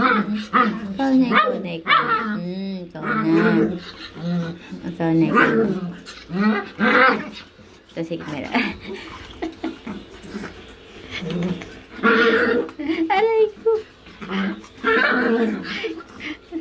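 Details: Chihuahua puppy pleading for affection while its owner uses the bathroom, producing a continuous run of mixed whines, warbling yowls and short yips, loud and insistent throughout.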